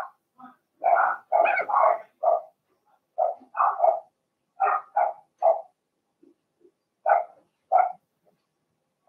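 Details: Cavalier King Charles Spaniel puppies from a Blenheim litter of six in a home puppy pen; clustered shrill yips and barks, several in quick runs, then sparser single yaps with short silent gaps.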